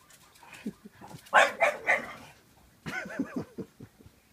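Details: A 9-week-old Bullmastiff puppy and a 1-year-old French Bulldog at play, giving a few short gruff barks and yelping growls in two bursts, with quiet grunts between.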